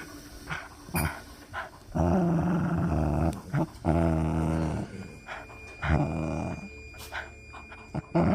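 A Miniature Pinscher makes throaty, harmonic growls and grumbles in bursts while playing.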